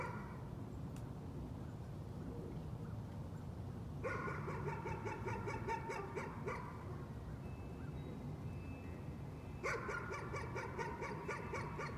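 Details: Nuisance barking from a dog: two bursts of rapid, evenly spaced barks, about four per second, the first lasting nearly three seconds, then a pause before a shorter second run, over steady low background rumble.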